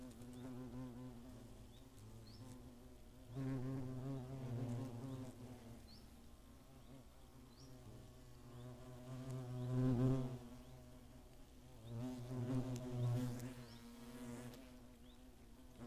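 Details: Buzzing hornets at the nest, recorded 15 August 2017 near Greimersburg in Germany's Eifel; a deep, harmonic humming drone that repeatedly swells as insects fly close, loudest near 4, 10 and 13 seconds.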